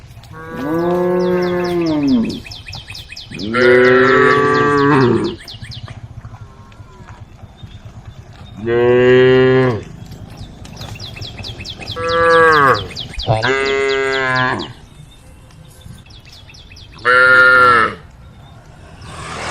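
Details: Group of cows on a road at the forest edge, calling the herd: six long, loud, harmonic moos, some rising then falling, spaced a few seconds apart, over faint high chirping in the background.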